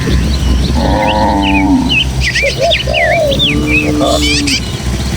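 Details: Cattle from a tame village herd of dozens moving through the Indonesian countryside toward their pen. A long, rich moo is followed by a second, lower and flatter one. Busy twittering birdsong and low wind rumble continue behind.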